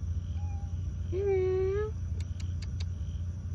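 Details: Cat being offered food and coaxed to come closer gives one drawn-out, tonal meow with a slightly rising pitch lasting under a second. A fainter short mew comes earlier, then sharp clicks follow over a low steady hum.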